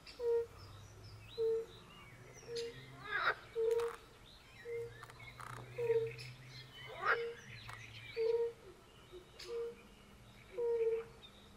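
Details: European fire-bellied toads, with pool frogs, calling at a forest pond: regular short mellow hoots about once a second, interrupted by harsh crackling croaks, a low hum underneath, and light birdsong.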